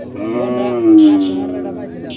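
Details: Unruly cattle at Horgoj market in 2025, frightened by the new place and people; one long, loud, drawn-out moo swelling in the middle then tailing off, with a man's voice briefly at the edges.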